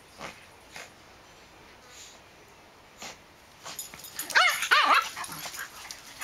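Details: Dogs playing together in a backyard, a black dog chasing and drawing a smaller dog into play; after soft thumps and quiet stretches, a burst of short, high, whining yips near the end.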